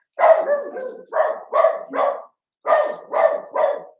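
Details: Sharp puppy barks from Cavalier King Charles Spaniels of a litter born 06/09/2022, filmed overnight on 8/27: two quick groups of three yaps each, separated by a brief silence.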